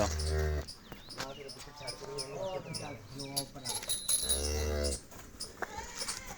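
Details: Cholistani Jersey cross cow offered for sale, giving low, drawn-out moos at the start and again around four seconds, with a man talking between the calls.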